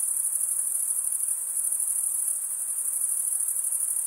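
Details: Stridulating male crickets give a sustained, sharp high trill with a faint rapid pulse to it. The level is even from start to finish, and only a gentle hiss lies below.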